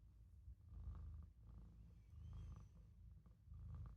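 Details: Olof, a young Maine Coon, napping in a sink and purring: deep, even rumble broken into swells roughly every second, brief quiet gaps between breaths, small indoor room.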